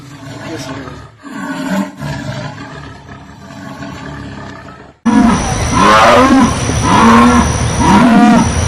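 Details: Jaguar roar: a rough, rumbling stretch first, then a louder series of hoarse, grunting roars repeated about once a second against steady background hiss.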